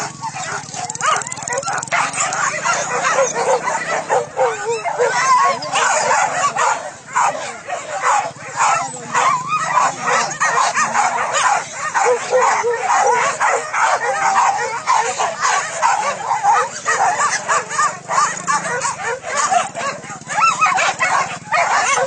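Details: Pack of trained hunting dogs in full cry while hunting wild boar pests in fields at Solok, West Sumatra, Indonesia; continuous overlapping high yips and barks, with some human voices mixed in.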